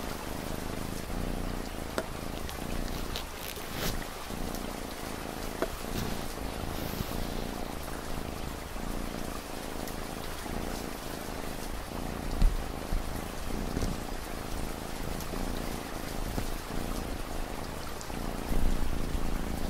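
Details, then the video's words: A cat's deep, rhythmic purr throbs in even low pulses throughout, layered over steady light rainfall with occasional sharper drips. "Cat Purring Sound"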